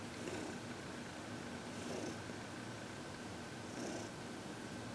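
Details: Senior cat Heidi, aged 14, relaxed and happy while receiving massage and reiki indoors, February 22, 2021; quiet rhythmic purr rising in soft pulses roughly every two seconds, with a constant faint background hum.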